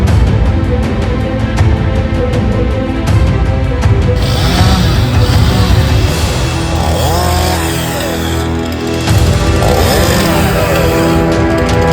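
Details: Loud dramatic music with a steady driving beat and a harsh, engine-like drone throughout, with no animal voice audible.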